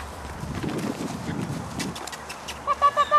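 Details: Puppies at play: after a stretch of soft rustling and low background hum, four short, high, nasal whimpers come in quick succession at the very end, each rising slightly and evenly spaced.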